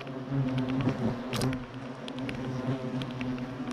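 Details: European hornets still present at Clavier after their nest was destroyed; a steady low humming drone with stacked harmonics, swelling as hornets fly close, with a few faint clicks.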